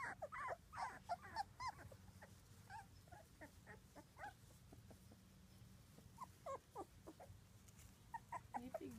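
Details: Squeaky little whimpers from a litter of six two-week-old British Labrador puppies, dam Ruby and sire Del, come in short clustered bursts over a steady background hum.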